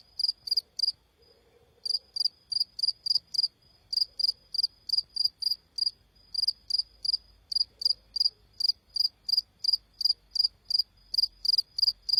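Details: Cricket calling: steady high-pitched chirps, each a rapid trill of pulses, repeated roughly three times a second in long runs after a brief opening pause, over a quiet low rumble.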